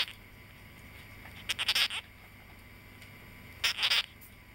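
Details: Pet male sugar glider born in August 2009, giving two short clusters of harsh, high, rapidly pulsed chirps about two seconds apart, with quiet room hiss between them.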